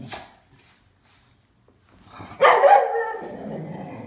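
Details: Two miniature schnauzers at home as their owner comes in. After a near-silent stretch, one dog lets out a sudden loud harsh bark that trails into a rougher, fading growl-like noise.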